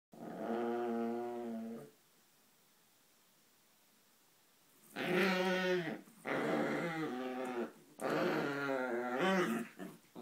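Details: Chihuahuas play fighting together indoors, giving harmonic, rumbling growls: one long growl lasting about two seconds, a pause, then two further bursts of growling with rising, whining edges, the last around eight to ten seconds.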